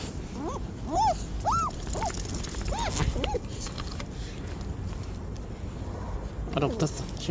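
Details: Dog Simkong on its first outing, a trip to the vet on a cold, windy day, whines in a quick run of high, arched whimpers, several per second, then falls quiet before a last faint whine; a person speaks gently, with wind and footsteps.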